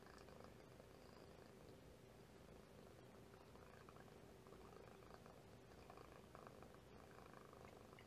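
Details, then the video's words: Mother cat and her kitten purring together indoors, a steady low rumble carrying pops, louder pops from the mother and quieter ones from the kitten; faint hiss in the background. "The loud pops are from Mom. The quieter pops are from the kitten."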